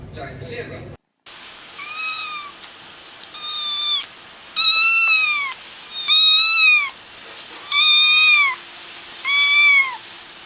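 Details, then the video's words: High, thin kitten-like meows, six in a row roughly every one to two seconds, each a short downward-curving wail with bright overtones, over a quiet steady hiss; a brief burst of other sound at the start. "So many cute Kittens meowing"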